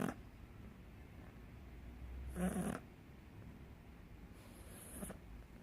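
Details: A sleeping British Shorthair cat snoring: two soft, breathy snores about two and a half seconds apart, each a low rasping rumble, over a quiet background hum.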